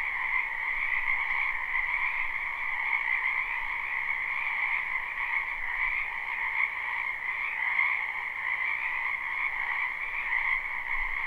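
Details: Numerous wetland frogs in spring, live recording with no looping: an even, continuous croaking chorus forming a bright upper band and a softer lower one, unchanging in pattern, with faint low rumble beneath.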